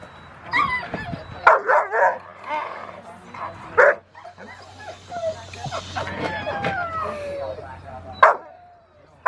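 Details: Foofy, a Rottweiler puppy, in protection training post work, October 25, 2020: clusters of quick sharp barks, then a drawn-out whining tone and a final single bark, with human voices and a steady low hum underneath.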